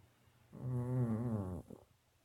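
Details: A pet dog snoring: one low, rattling, buzzy snore lasting about a second, steady and rumbling throughout, ending in a brief soft snort, with quiet background before and after.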